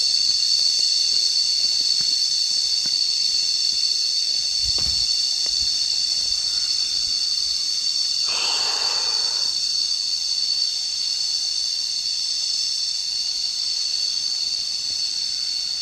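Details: High, steady cicada buzzing heard while resting outdoors during a walk, an even shimmering wall of sound, briefly overlaid by a soft rushing noise midway and a few low thumps.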